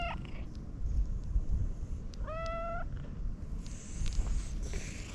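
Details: Stray domestic cat with a cute voice being petted outdoors: one short clear meow with a slight upward bend, preceded by a brief cut-off cry, over heavy low rumbling handling noise and snuffling.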